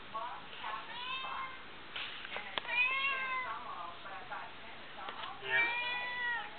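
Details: A domestic cat gives repeated, drawn-out meows, each arching up then sliding down, asking to be let outside while a person talks and refuses.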